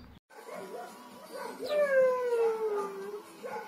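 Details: Siberian Husky named Shira, singing along with the neighbouring dogs: a drawn-out, tonal howl that slides gently downward for about a second and a half, with fainter overtones above it and soft background sounds before and after.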